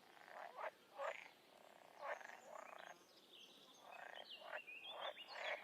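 Frogs croak in short, rasping bursts, several voices overlapping with thin higher chirps in the background.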